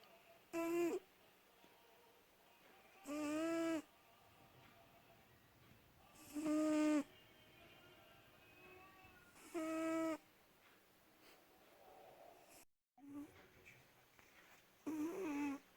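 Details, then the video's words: Snoring of Шанелька, a cat and mother of many kittens, indoors through the night: loud, harmonic, whistling snores about every three seconds, each roughly half a second long, fairly regular, with near silence between. "Кошка Шанелька храпит"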